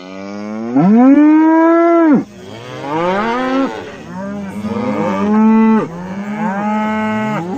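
A cow moos loudly, a long rich bellow followed by several deeper, wavering moos.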